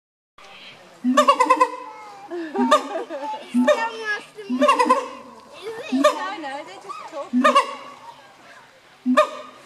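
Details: Siamang gibbons recorded in 2015: loud harmonic barks in short bursts, each rising then falling, broken by softer wavering calls and quieter gaps between outbursts.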